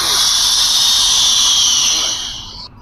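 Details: A live American alligator at the oldest museum in western Kenya gives a loud, breathy hissing puff lasting over two seconds, with a steady high whistle-like tone running through the hiss before it cuts off abruptly.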